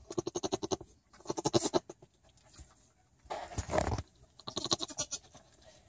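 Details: Blurt, a newborn pygmy goat, floppings around: rapid pulsed, quavering bleats in four bursts, with a breathy noisy burst in the middle.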